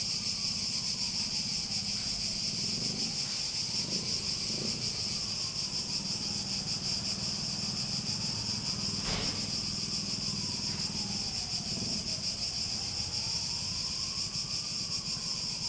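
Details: Cicadas hold a steady, shrill, high-pitched drone throughout, while a soft tone slides slowly up and down beneath it and a single sharp click sounds near the middle.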